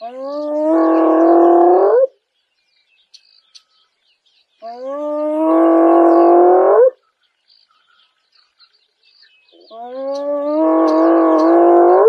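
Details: A female spotted hyena in Kruger National Park gives long, hollow calls that swoop upward at the end, repeated every few seconds.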